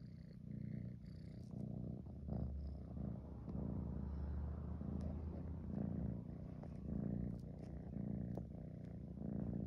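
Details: Tabby kitten purring on a fleece throw with his head in it, a deep steady rumbling hum that swells and fades with each breath.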